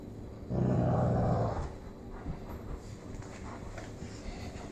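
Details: Cane Corso named Hank, an Italian Mastiff in Kansas City, growling while playing tug-of-war with his new girlfriend Loretta; one deep, rumbling growl lasting about a second, then quieter scuffling and background noise.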